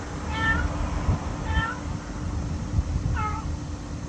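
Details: Small black stray cat at a Lawson convenience store in August 2024, very vocal and growing friendly; three clear meows, each a short bending cry spaced about a second or more apart, over a steady low hum.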